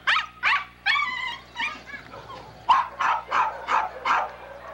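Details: Poodle puppy barking in a quick, uneven series of about eight sharp, bright barks, with a short pause near the middle before the barks resume.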